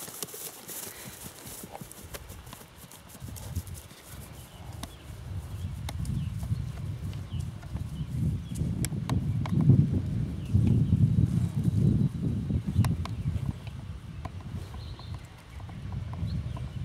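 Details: Missouri Fox Trotter gelding being ridden after his saddle girth was tightened, with a gate and backing planned; dull low thudding hoofbeats in a steady rapid rhythm, building from about four seconds and loudest in the middle, with faint clicks above.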